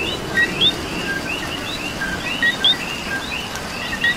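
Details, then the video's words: A Puerto Rican coqui frog, rain around it, repeats a crisp two-part call, a short low note followed by a bright rising whistle, about twice within four seconds against other coquis chirping farther off. "Coqui and Rain"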